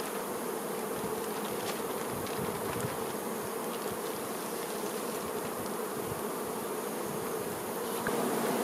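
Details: Honey bee workers tending their queen: a dense, steady hive hum with a low droning band, continuous for the whole stretch and without pauses.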